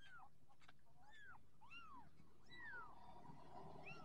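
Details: Orange Persian kittens growing up, giving high, thin arched mews that rise and fall, several overlapping in quick succession over a steady low background hum.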